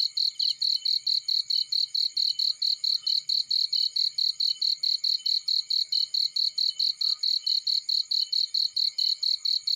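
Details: Cricket in a field keeping up a steady, high, ringing chirp, about four pulses each second without pause, over a very faint low hum.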